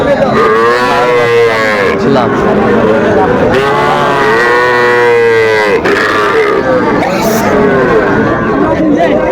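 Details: Sahiwal bull calves at a cattle market, Dhaka farmer buying, Bangladesh, 11 November 2024: repeated long bellowing moos with arched pitch, one after another, several calves calling together over background voices.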